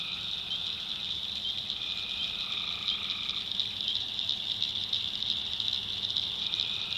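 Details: Tree frogs calling at night in the backwoods of North Carolina: a dense, continuous high trilling chorus, with longer drawn-out lower trills overlapping now and then and a faint low hum beneath.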